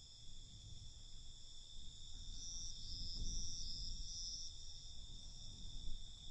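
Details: Crickets singing at night, a continuous thin, high ringing trill with short brighter pulses mid-way, set against a dull low rumble that grows slightly louder toward the end.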